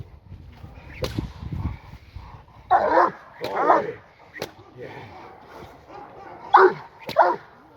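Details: G'Bomba de la Arena, a seven-month-old Presa Canario puppy, in her first ever protection training (Schutzdienst) session with AVD e.V. Two bursts of deep, harmonic barks, with sharp cracks and a man's voice between them.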